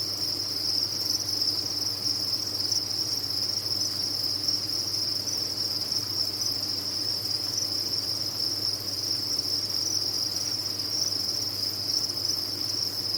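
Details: Crickets raised on a farm chirp en masse, their calls fused into one relentless high-pitched shimmering trill without breaks, accompanied by a soft steady low hum.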